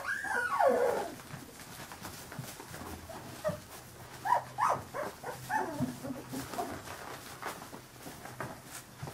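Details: Scattered thin squeaks and brief whines come from 15-day-old Carolina Dog puppies. A louder drawn-out whine opens the stretch, then short scattered cries follow over soft rustling background noise.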